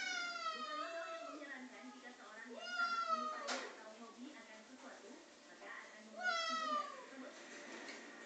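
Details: Pulpy, a male domestic cat acting crazy with a mop indoors, gives several drawn-out, wavering meows that rise then fall, three main calls spread across the stretch, with human speech murmuring in the background.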